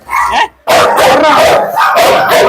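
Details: Dog in a Kerala 'dog challenge', provoked toward biting. Loud, harsh barks in dense bursts, a brief silent gap near half a second, then continuous rough barking with men talking in Malayalam.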